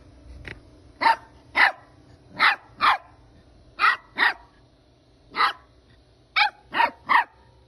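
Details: Puppies barking: about ten short, sharp, high yips in loose pairs and singles spread over several seconds, with quiet low background noise between them.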